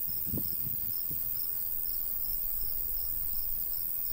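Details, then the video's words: Countryside crickets on a summer day near a golden wheat field, faint high repeated chirping behind gusty low breeze and a few brief thumps. "Countryside/cricket sounds"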